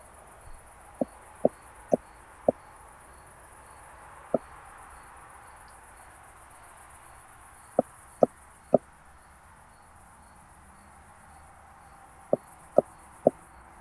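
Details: Ultrasound-detector recording (Pettersson D 100) of a Southern Oak Bush-cricket, Starnberg, Germany, August 2023, noise-reduced; short crisp taps come in clusters of three or four separated by several seconds of quiet hiss.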